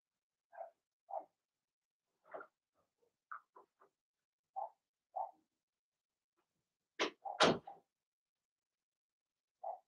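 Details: Indoor pen holding six Blenheim Cavalier King Charles Spaniel puppies, two girls and four boys, during potty training; soft, clipped yips recur every second or so, with loud clattering knocks toward the end, then another single yip.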